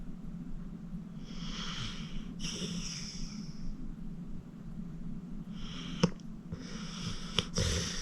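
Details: Acorn, a 14-year-old senior pit bull rescued from the Cuyahoga County Animal Shelter, snores in deep sleep: four long, breathy, hissing snore breaths, two close together early on and two later, with soft clicks and a steady low hum underneath.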